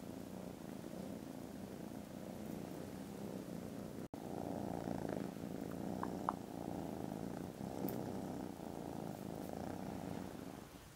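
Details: Contented foster kittens snoozing after lunch, recorded indoors on Friday 18 December, purring very loudly: a steady low rumbling throb, briefly broken by a sharp click and a short gap near the middle, with a few faint higher ticks afterward.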